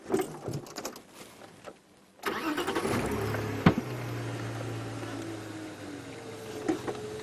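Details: A vehicle engine starts and idles, with no animal sounds heard.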